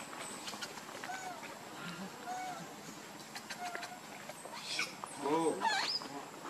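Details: Baby monkey named Lucie, crying: faint wavering whimpers early on, then a loud burst of harmonic, rising-and-falling wails near the end, with rustling and outdoor background noise.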